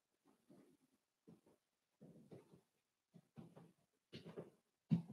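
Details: Four-week-old Cavalier King Charles Spaniel puppies from Daisy's litter, indoors in their pen: a series of low, muffled grunts and whines in irregular bursts, ending with a louder squeal, in a quiet room.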